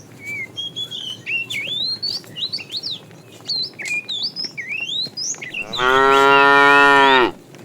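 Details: Tame cows from a herd roaming along a road in search of food. Dense, rapid bird chirps and whistles fill the first five seconds, then one loud, steady, harmonic moo lasts about a second and a half before stopping abruptly.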